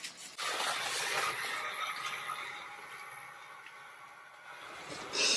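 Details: A hissing, rushing broadband noise fills the recording, like steam or a passing vehicle, with no clear animal voice.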